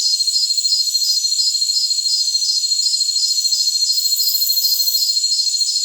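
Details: Crickets of a jungle setting produce a continuous shrill whine, with a brighter chirp line pulsing regularly about three times each second. A faint hiss rises briefly near the end.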